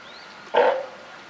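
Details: California sea lion mother with her newborn pup at Higashiyama Zoo and Botanical Gardens, Japan, on 28 June 2023; a single short, hoarse, bleating call lasting about a quarter second, mid-pitched and slightly tonal.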